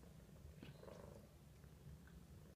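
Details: A 7-to-8-month-old American Shorthair cat purrs steadily in a low, continuous rumble, seemingly happy after being let out of its cage; it is described as quiet, rarely meowing, and affectionate.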